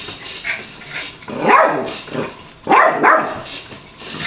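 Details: Yorkshire Terrier (Canis familiaris) playing with a toy car gives two quick bursts of sharp, high-pitched yapping barks.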